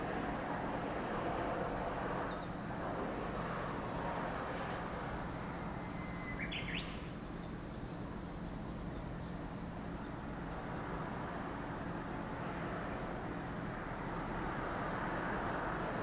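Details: Continuous high sizzling chorus of cicadas at Lake Kamo, Sado City, Niigata Prefecture, Japan; a brief bird chirp breaks in near the middle while the insect drone carries on unchanged.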